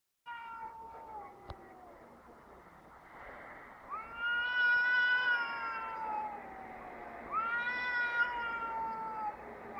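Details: Two cats outdoors in Heerenveen, the Netherlands, calling to each other in a way that resembles a crying baby: long drawn-out wailing yowls with rich harmonics, first sliding downward, then two louder rising-and-falling wails around four and seven seconds.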